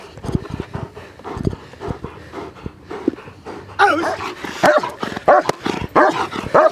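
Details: German Shepherd during protection training: quieter thuds and movement give way midway to a burst of loud, harmonic, strained barks, repeated roughly every half second to the end.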